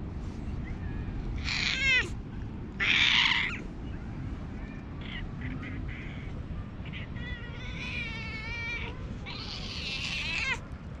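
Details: Hoarse-voiced stray cat being affectionate, recorded outdoors with a GoPro HERO8; a series of raspy, harmonic meows of varying length, about five calls, some wavering, against constant low background noise.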